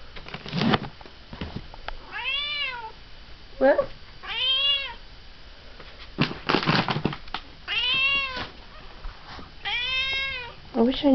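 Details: A female domestic cat indoors in the evening, meowing to demand her dinner, piercing and insistent: five loud harmonic meows, each arched and drawn out about half a second, spaced one to two seconds apart, with a woman talking softly between them.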